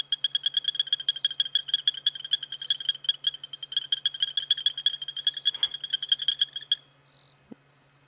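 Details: On an evening safari drive on 22 September 2016, male frogs chorus with rapid, high, ringing clicks, competing to sing best, then all stop together abruptly; hyenas whoop too distantly to hear.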